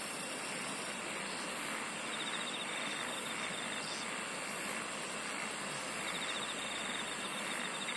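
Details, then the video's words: Insect song in a natural setting, continuous high buzzing with periodic brighter trill bursts and a faint rhythmic ticking layer, over constant broadband noise and a low hum. "SINGING OF INSECTS"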